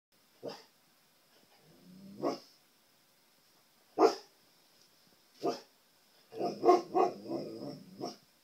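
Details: Siberian Husky barking indoors at his own reflection in a TV screen, trying to communicate with himself; short harsh barks come singly at first, then a rapid run of yips and grumbling barks near the end, with a steady faint electronic whine throughout.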